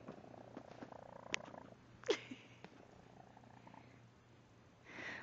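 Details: A 5-month-old male feral kitten, recently neutered and recovering from a leg injury, purrs during a belly rub: a steady, unusually loud, croaky, froggy rumble between soft voices and handling noises; finding: cat.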